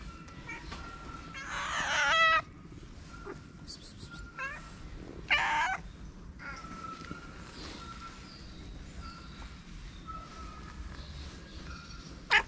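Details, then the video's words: Homeless cat on a Moroccan street calling while approaching someone who feeds strays; two loud, harsh, drawn-out meows a few seconds apart, with softer brief calls and constant street hum between them. "The cat that came to me with a meow"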